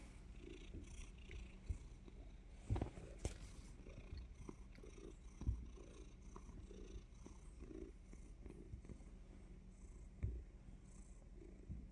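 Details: Domestic cat purring steadily before a surprise bite; low continuous rumbling throb with a few soft clicks and brief louder bumps, quiet indoor setting.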